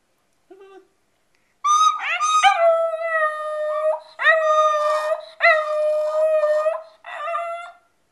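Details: Male pet dog howling along in a household while a one-year-old baby plays a recorder: four or five long, wavering, sustained howls with gliding starts, separated by short breaks, blending with steady tootling recorder notes.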